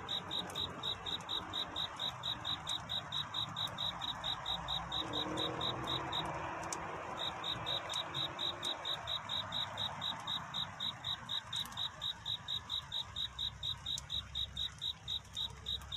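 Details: Courtship song of a cricket on a night toward dawn, rapid steady high chirps that pause briefly near six seconds and then resume, over a mild rustling ambient backdrop with occasional clicks.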